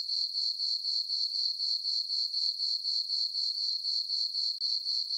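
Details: Crickets chirping through a peaceful summer night in a moonlit meadow on a farm; a steady high, pure trill pulsing about four times per second without pause, no other sounds.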